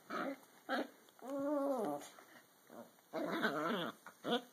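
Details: Dachshund play wrestling with a Toy Fox Terrier indoors: short squeaky yelps, then a drawn-out whiny growl with a wavering pitch, followed by a burst of rough, squeaky growling.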